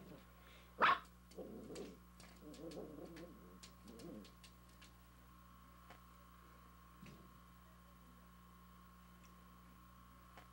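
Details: A puppy barks at another dog seen in a window: one sharp, loud bark near the start, followed by a few low, rough, grumbling bursts, then near silence with faint clicks and a steady room hum.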